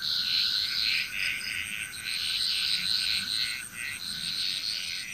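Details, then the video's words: Frog chorus from Bali, Indonesia as a nearly unbroken wall of overlapping grating croaks and rapid chattering notes, with a steady high insect tone and a faint low hum throughout. "Frog Chrous Relaxing Nature Sounds of Bali, Indonesia"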